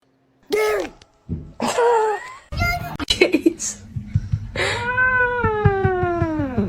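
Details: Kitten or cat meowing. Two short, clearly pitched meows come first, then a cluster of clicks and shorter calls, and finally a long drawn-out meow lasting about two seconds that slowly rises then falls. Laughter and speech follow.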